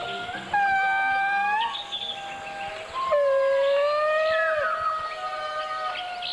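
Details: Indri song from the dense forest of Madagascar, where indris live in small groups: long, sustained wailing notes that slide and bend with several voices overlapping, used to locate one another, typically opening with short barks and ending in a long wail.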